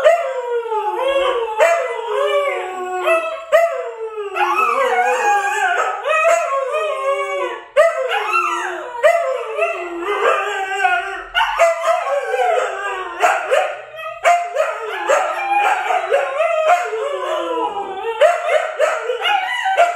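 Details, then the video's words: Siberian Huskies, a group including Luna, Gizmo, Arya and puppies, howling together: overlapping wavering, sliding tones that rise and fall in many voices, some yips mixed in, continuous chorus throughout. "SIberian Husky Howling"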